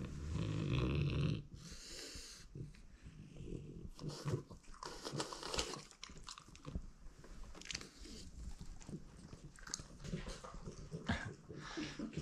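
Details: A loud, low snorting grunt opens, then comes rapid crunching and snuffling as French Bulldog Oleg, who swaps wooden sticks found in the forest for food, chews steadily.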